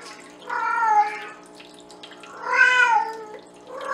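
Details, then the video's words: A Bengal cat named Penny sings loudly to the boys with two long, wavering meows, each rich in overtones and bending downward at the end. A third call begins as the section closes. "Our Beautiful SINGING Bengal Cat"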